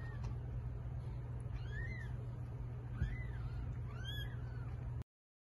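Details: Cat delivering a litter of eight kittens; three separate high-pitched mews, each a brief rising-then-falling arc about a second apart, heard against a constant low droning hum.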